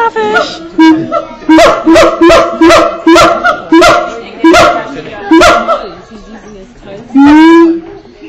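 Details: A captive male siamang at Auckland Zoo, New Zealand, recorded on 7 July 2013. It gives loud, harmonic hoots in a fast repeated series, about two per second, then a long rising wail. Voices are heard faintly.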